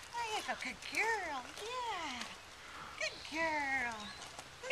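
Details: Nine-week-old Welsh Terrier puppy, excited on a lead with her sister nearby on a deck, gives a run of arched, rising-then-falling whines, several overlapping in quick succession, then a long sliding whine, over a quiet outdoor background.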